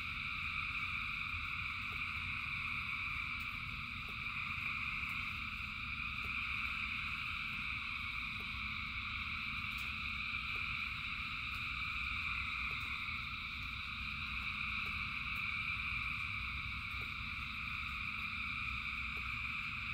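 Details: Massed frogs calling during rain, their countless overlapping trills merging into a continuous high, shimmering wall of sound above a steady low rumble; occasional soft ticks and drips stand out.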